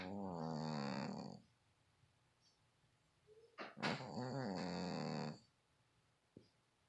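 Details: Domestic cat snoring indoors: two long, harsh, rasping breaths with a stacked buzzy tone, each lasting over a second, separated by about two seconds of quiet with a faint click between.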